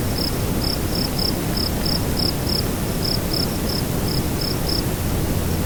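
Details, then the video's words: At nightfall a cricket gives a run of short, bright chirps, about three per second with a few gaps, against loud, blustery low-pitched wind noise. "Nightfall Cricket Windy Ambience"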